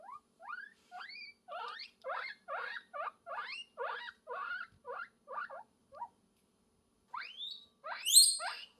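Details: Guinea pig calling for love: a steady series of short rising squeaks, about two per second, then a pause and two longer shrill upward-sweeping whistles at the end.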